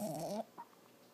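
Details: Sleeping Lhasa Apso puppy Toby, six months old, dreams indoors: a short, nasal, wavering whimper with layered harmonics lasts under half a second, followed by one faint squeak and soft breathing.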